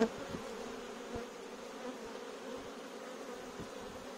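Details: Invading bee swarm in a courtyard: an even, sustained buzzing drone with a low steady tone and faint scattered taps in the background.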